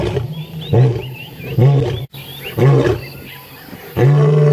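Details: Male lion at sunrise, 15 January 2017, giving a series of short deep grunting roars about one second apart that build into a long final bellow, while birds twitter faintly in the background.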